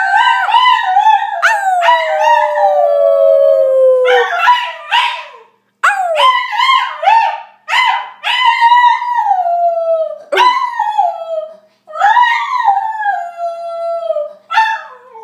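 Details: Shiba Inu howling: a string of long, wavering, high yowls, several sliding downward in pitch, broken by brief pauses, roughly a dozen cries in fifteen seconds with no other sounds.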